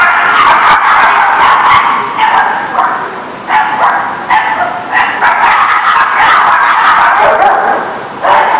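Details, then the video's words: Many dogs barking together at once on September 21, 2019, a dense overlapping chorus of sharp barks and yips with no pauses, some louder barks standing out every second or so. "The Barking Lot"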